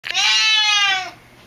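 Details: Loud, drawn-out meow from an excited pet Siamese cat at home awaiting its owner's return: a single strained, harmonic-rich wail about one second long, held level then fading.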